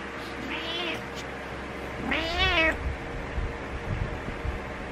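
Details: Butters, a pet cat, meowing to get its owner awake: two harmonic-rich meows, a short soft one followed by a louder, longer arched meow, over a steady low indoor hum.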